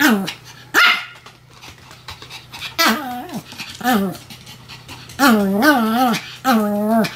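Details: Duet barking by two Pomeranians named Sam and Marin. Short yaps alternate with long, wavering, howl-like wails that bend up and down in pitch, several of them in a row, with quiet pauses between.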